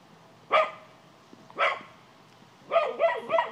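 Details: Cocker spaniel Gladys barking at a white-tailed deer in the yard, trying to scare it away; two single loud barks a second apart, then a quicker burst of three barks.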